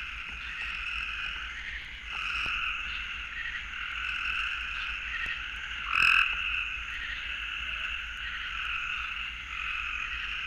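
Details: In Florida, gray treefrogs give their mating call: fast, buzzy simple trills that run on almost without a break.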